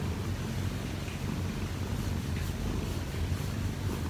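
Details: Kkobugi, a 1-year-4-month-old odd-eyed Munchkin cat indoors, purrs while kneading on top of its owner in the morning to wake her. A low, steady, rumbling purr is heard, with soft pulsing throughout and no other clear sounds.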